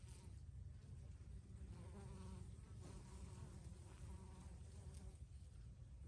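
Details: Bees buzzing in basil blossom in a low, steady drone, with wingbeat hums overlapping and swelling as they pass close.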